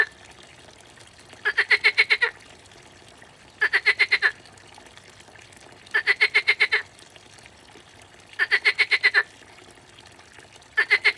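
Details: Frog giving rapid trains of about eight sharp, clicking pulses, each train lasting under a second and repeated every two seconds or so, against a quiet, steady background.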